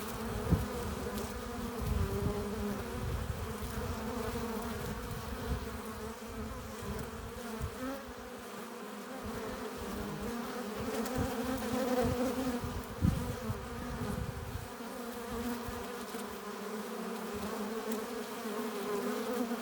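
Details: Honey bees at a hive entrance, arriving with pollen and nectar: a steady, dense hum with layered tones around a low drone, individual bees swelling and fading as they fly past, plus soft low thumps.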